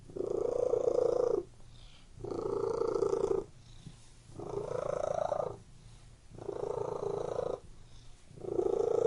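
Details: Pet cat in a room giving a steady, throaty purr that rises loudly for about a second and a half, then drops to a soft lull, five cycles repeating about every two seconds.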